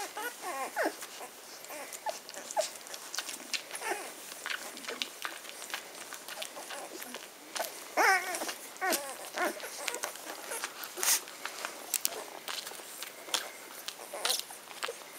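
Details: Ten-day-old Magyar Vizsla puppies of the B litter from the Elsterhaus kennel, 23 May 2015, squeak and whimper in short, high, wavering cries, several overlapping and scattered throughout, over soft rustling and clicking indoors.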